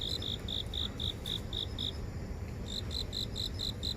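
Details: Garden insects in downtown Seoul recorded on a phone: a run of distinct chirps roughly four per second, a short pause, then another run, with distant low city rumble.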